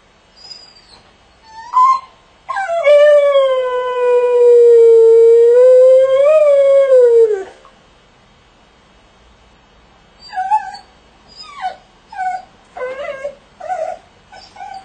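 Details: Jessie, a pet dog, howling in a crate: a short yelp, then one long sustained howl of about five seconds that wavers and dips before falling away, followed by several brief whimpering yips.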